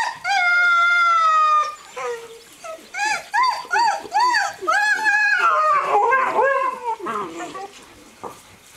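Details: Playful Greenland Dog pups aged seven weeks, three litters together outdoors at Tinka's Kennel, June; a sustained level howl opens, followed by a run of short arched yips and a tangled chorus of yowls.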